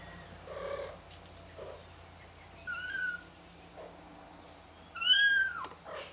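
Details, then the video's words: Kitten calling for help: thin, high-pitched meows with strong overtones, one near the third second and a louder, falling cry near the fifth, plus softer mews between, over a steady low hum. "Kitten Calls For Help"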